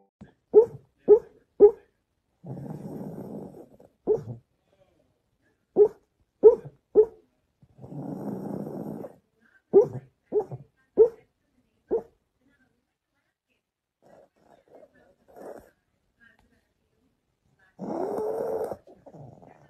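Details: Pug puppy gives short sharp yips in quick bursts of two or three. Low rumbling growls run between them, then a whiny growl comes near the end. Quiet gaps separate the bursts.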